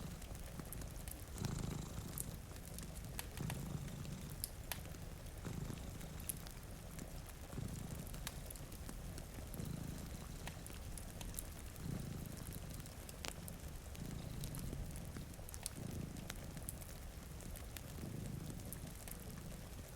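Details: One of two cats asleep before a rainy window purrs steadily, soft rumbling pulses rising and falling with its breathing, accompanied by frequent fireplace pops and a light wash of rain.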